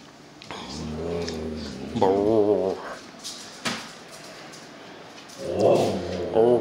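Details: Sasha, a female Husky newly taken in from previous owners, vocalises indoors with drawn-out wavering howl-like moans in two bursts, a tonal talking howl with shifting pitch, followed by a person answering her.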